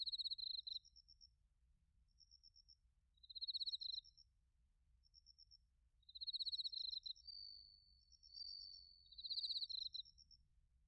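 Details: Autumn night chorus in Narita, Chiba, Japan, of bell crickets and other crickets, recorded with a TASCAM Portacapture X8: short, shrill pulsed chirps repeated every two to three seconds, one smooth rising trill, and lighter, higher ticking series between.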